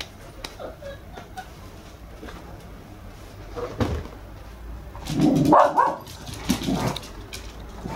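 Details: A red female Toy Poodle puppy, 54 days old, indoors on her first viewing day. She gives a short burst of whining, whimpering cries midway through, with tonal rising notes over quiet room noise and faint clicks.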